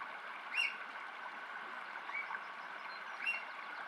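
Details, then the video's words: A mother and youngster otter give three brief, high squeaks, each a quick rise-and-fall whistle about a second apart, over a steady rush of running water. "Otter Squeaks"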